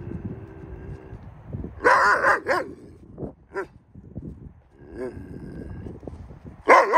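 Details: Yakut wolves in an open enclosure: short hoarse barking bursts, a double bark near the middle and another at the end, with scuffling, a few softer yips and a man speaking Russian.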